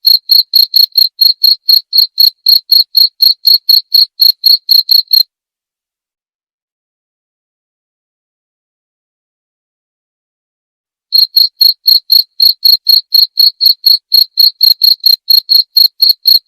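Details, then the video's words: Cricket chirping in a fast, steady series of short, high, bright pulses, about four each second. The series stops for roughly six seconds of total silence, then resumes at the same pace. No other sounds. "Suara Jangkrik"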